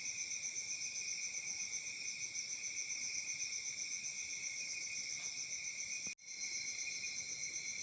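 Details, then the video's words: Crickets in Africa calling through a summer night, a shrill unbroken trilling chorus pulsing rapidly, interrupted once by a brief sharp click-like dropout about six seconds in before resuming. "Crickets Chirping sounds at Summer Night"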